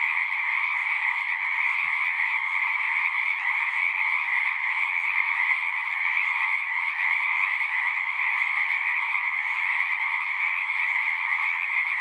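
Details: Many frogs sing together in a continuous, even trilling chorus, a shrill upper band over a softer lower one, steady throughout with no gaps or other noises.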